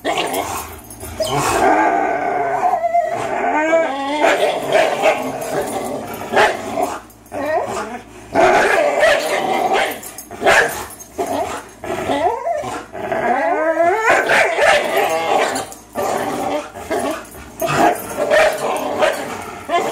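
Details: Two 3-year-old dogs, Fox the Greyhound and Miles the German Shorthaired Pointer, in a tug-of-war match they often play; continuous throaty growling and whining snarls rising and falling, broken by brief pauses and scuffling.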